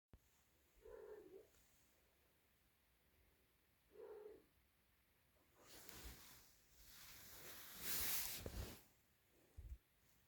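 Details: Small Siamese kitten calling loudly for its mother: two short rising-falling meows about three seconds apart, followed by broad rustling and handling noise and a loud burst near the end.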